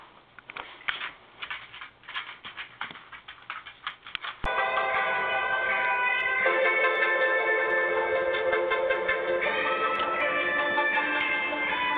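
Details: Plucked guitar notes give way to sustained electronic music, with no animal voice.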